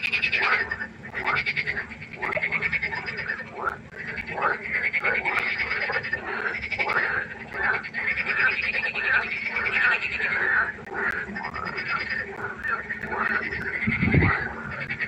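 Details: Frogs calling at night by a pond: a dense chorus of many overlapping rasping, pulsed croaks that continue throughout, with rapid trills rising and falling in waves and no clear pause; a low steady hum sits underneath.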